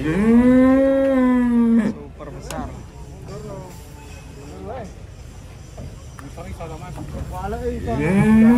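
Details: A giant cow being unloaded from a truck gives a long, steady moo of nearly two seconds, followed by voices and clanks, and another moo starts at the end.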